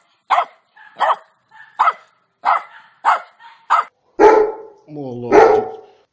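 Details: Barking dog in a compilation of funny barking dogs: six short, evenly spaced barks about every two thirds of a second, then two longer, drawn-out tonal calls.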